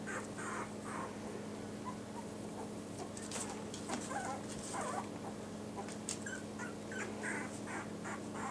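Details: Yorkshire Terrier puppies, among them the dark-blue-collared boy nicknamed trouble maker and Hope in light blue, whimper and yip in scattered high squeals with a few sharper clicks, over a low background hum.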